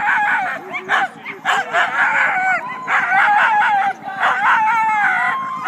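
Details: Pre-start din from a team of Siberian sled dogs at the Siskiyou County races in Klamath National Forest, California, February 9; a chorus of rising and falling howls mixed with yelps, pulsing in bursts with brief dips in between.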